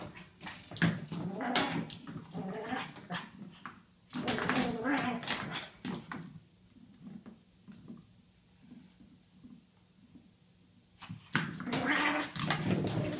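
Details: Pet pug indoors going crazy on its toy: loud bursts of snorting growls and whimpers, a quieter middle stretch of soft grunts, then another loud burst near the end; a human voice faintly in the background.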